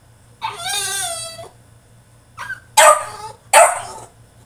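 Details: A French Bulldog in his cage during a tantrum: a drawn-out, wavering high whine lasting about a second, then a short yelp and two harsh barks.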